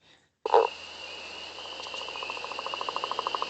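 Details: A northern leopard frog, which often sings underwater, gives a rattling, snore-like series of rapid pulses, like a lion then laughing, over a high spring peeper chorus.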